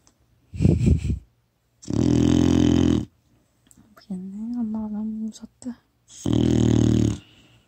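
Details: Kkotsuni, a four-month-old female retriever puppy, snoring in her sleep on a phone recording: a choppy snort, two long buzzy snores, and a wavering tonal voice between them.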